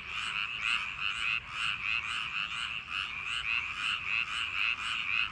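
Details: Chorus of frogs in rice paddies on a summer night, many voices overlapping into a continuous rhythmic rattle of short croaks, pulsing roughly twice a second without a break.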